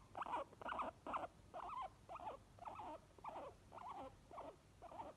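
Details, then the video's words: Obi, a white pet guinea pig, and companion Chewi give happy wheeks: quick squealing calls, the first three louder and brighter, then softer wavering ones following at about two per second. "HAPPY GUINEA PIGS NOISES"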